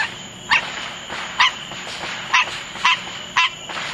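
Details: A green tree frog gives short, nasal honking notes, repeated roughly once a second, calling amid July 4th fireworks.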